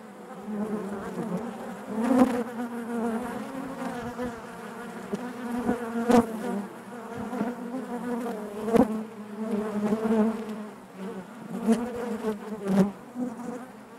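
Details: Inside a honey bee hive, a continuous low drone of many bees, with sharp taps and knocks scattered every couple of seconds over the steady hum.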